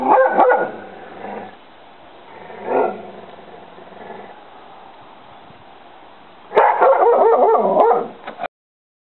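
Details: An English Springer Spaniel barks at a duck in loud, rapid bursts, with quieter gaps between.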